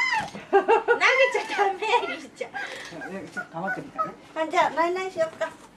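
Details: Siberian Husky Ririka crying, mostly fake crying, after fellow husky Cookie snatches a mandarin indoors; wavering, yodel-like whines in rapid bursts, rising and falling, with laughter nearby.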